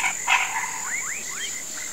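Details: Swamp frogs at sunset, calling for rain: a brief rasp followed by three quick rising swoops, with a continuous high insect tone underneath.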